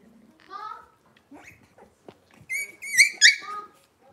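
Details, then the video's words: Cavalier King Charles Spaniel puppies from Robin's litter indoors, kitchen livestream: a low grunt, then several rising harmonic whines and squeals, loudest near the end, with short yips between. "Cavalier Puppy Live Stream: Robin's Puppies"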